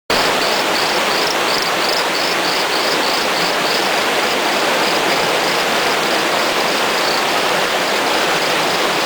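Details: A small torrent frog (Micrixalus saxicola) gives a steady series of short, high, chirping notes over loud rushing water.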